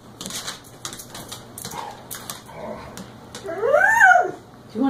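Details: Hungry, excited dog gives one drawn-out whine that rises and then falls, near the end. A person keeps asking whether it wants to eat, with laughter and household clatter behind.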